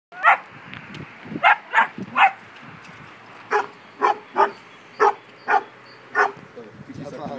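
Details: Beauceron in a standoff with another dog, barking in short sharp bursts: about ten loud barks, some in quick pairs and others spaced roughly half a second to a second apart, over quiet background noise.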